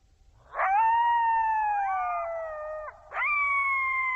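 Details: A coyote in Zion National Park gives a long, slowly falling howl of about two and a half seconds, then starts a second howl at a higher pitch.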